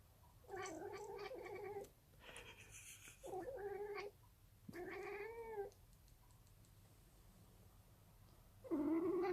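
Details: Pet cat making weird noises while having fun indoors: a series of drawn-out, wavering meows and caterwauls, some rising then falling, in bursts of about a second with short pauses, one loud final howl.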